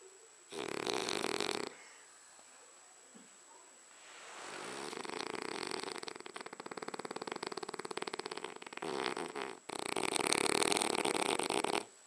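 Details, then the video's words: Sleeping French Bulldog snores in a small room, rasping inhalations alternating with quiet pauses; a long fluttering, vibrating snore builds in the middle, then loud harsh bursts follow near the end. "French Bulldog Abercromby snoring"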